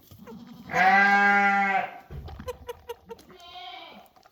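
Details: Young goat kid being bottle-fed, happy and wagging its tail: one long, loud, quavering bleat lasting about a second, then soft clicking and sucking noises, then a shorter, quieter bleat.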